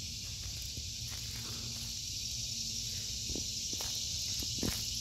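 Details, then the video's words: Summer cicada chorus in a home vegetable garden, August 2023: a continuous high-pitched buzzing wash holds even throughout, broken only by scattered footstep clicks and light rustling. "Sounds of Summer #cicadas"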